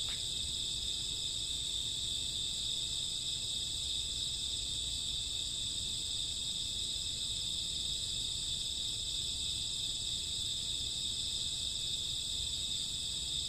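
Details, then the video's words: Crickets and grassworms chirping on a summer or autumn night at midnight: a dense, unbroken high shimmering chorus with several steady layered bands, no distinct pulses, and a faint low rumble beneath. "Cricket sound 2 hours, summer autumn night grassworm lullaby"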